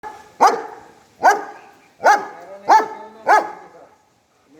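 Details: A German Shepherd barks at the person filming, giving loud, sharp barks about one every second or so.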